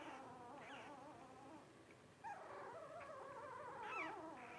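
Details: Blenheim Cavalier King Charles Spaniel puppies, 12 days old, from the five-pup first litter of Paris and Spike, born New Year's 2023: overlapping wavering whines and squeals, rising and falling continuously, with several voices at once.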